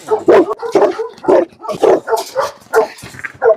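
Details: Tibetan Mastiff barking in a dog challenge, a fast run of deep, rough, harsh barks, about eight in under four seconds, loud and close.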